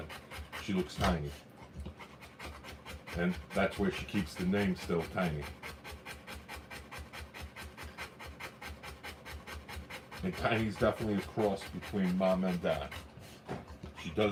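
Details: Rottweiler in labour during the live birth of puppies, panting in quick rhythmic breaths about three per second. Bursts of human speech break in near the start and again toward the end.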